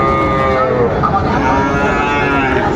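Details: At Raniganj market in Dinajpur, 13 March 2025, where Sahiwal bull calves are bought and sold, a wavering mid-pitched moo rises and falls for nearly three seconds amid bargaining voices and background bustle.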